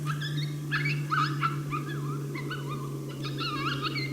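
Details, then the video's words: Challenge bark from a coyote angered by a person's presence on a St-Andrews hunt, 1 March 2019, heard without being seen: quick wavering yips, several a second, then a short gap and a fresh burst, with a strong low hum throughout. "Chasse aux coyotes St-Andrews 1er mars 2019, challenge bark"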